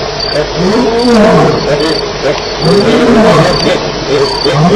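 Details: Lions fighting at night at Elephant Plains, 9 July 2010, around 2:11am: loud, harsh arching snarls and growls rise and fall in overlapping bursts, while a cricket chirps steadily and high in the background.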